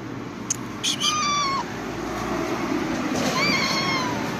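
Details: Calico cat meowing twice: a short falling meow followed after a pause by a longer one that dips gently at the end, with a faint click and soft room noise.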